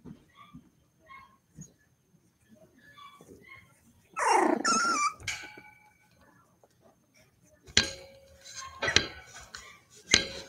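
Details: Cavalier King Charles Spaniel puppies playing inside the home where they are raised, with a loud high whining yelp rich in overtones midway, soft squeaks before it, and sharp yips and clatter near the end.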